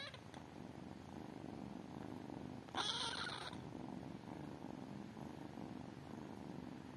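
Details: Purring from tiny kittens, a soft low rumble carrying on throughout, broken midway by a loud hissing rustle lasting under a second.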